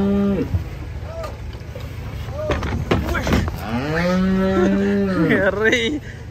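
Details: Cattle coming down off a truck; a short moo, clattering knocks and thumps, then overlapping wavering moos from more than one animal, over low rumbling noise.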